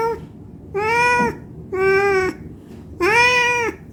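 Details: Hungry cat begging to be fed gives three long, even meows with flat, sustained pitch, each lasting about half a second to a second, separated by short silences.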